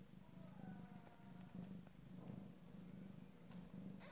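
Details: Abyssinian cat purring at the first family meal of her first litter. A low, continuous, rumbling purr pulses evenly from start to finish, with faint higher squeaky notes early on.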